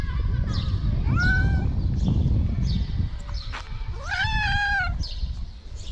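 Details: Hungry stray cats on a street in Morocco meowing for food; several drawn-out, rising then falling meows with rich harmonics, two clearest near the middle and end, over low traffic-like rumble and brief Arabic speech.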